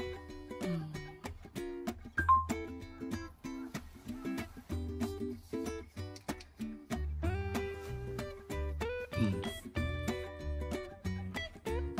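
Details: Plucked acoustic guitar or ukulele music with strummed chords and a bouncing bass line throughout, no animal sounds.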